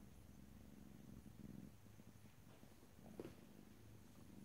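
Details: Domestic cat purring softly in a close stereo recording with no talking, a faint low rumble with gentle breath-paced swells and a small rustle near the three-second mark.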